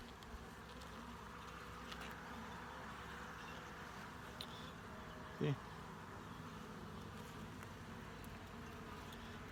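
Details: Colony hum from an open honey bee hive under full inspection, a continuous low, even drone of many wings, broken once near the middle by a short, loud knock or handling sound before the steady buzzing resumes.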